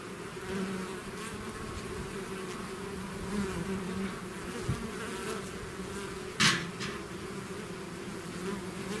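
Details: Swarm of bees pouring out of the hive, steady droning buzz from many insects, a few close fly-bys, and a sharp brief click or knock partway through.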